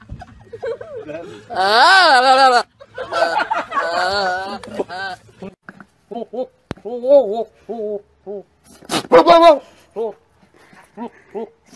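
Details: Goats bleat with a strong quavering tremble. One long wavering cry lasts about a second, then shorter trembling bleats follow, with people talking and laughing in between.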